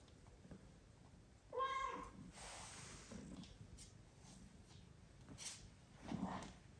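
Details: Indoors, a mother cat wanting to be petted beside her sleeping newborn kittens gives one short, steady meow, followed by soft rustling and a fainter low sound near the end.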